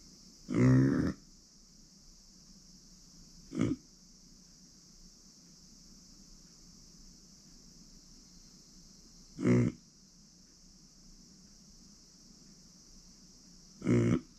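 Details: Uni, a female micro pig born September 2020 and kept as a family pet since April 2021, gives four short low grunts spread over the recording, separated by quiet pauses, with a steady high electrical hum throughout.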